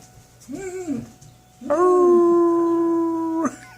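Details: German Shepherd howling at weekly tornado test sirens indoors: a brief rising-and-falling whine, then a steady sustained howl held for nearly two seconds at even pitch, with a person talking nearby.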